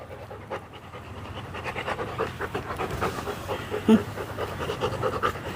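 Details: Pet Labrador Retriever called Chakki panting hard and steadily: quick breathy huffs in an even, rapid rhythm fill the whole stretch, with a person calling the dog in the background.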